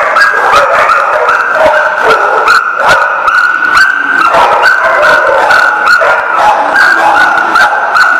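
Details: Many dogs at a kennel or dog lot barking continuously and overlapping, sharp yips and barks about two or three per second, with a steady higher-pitched whine or hum running throughout.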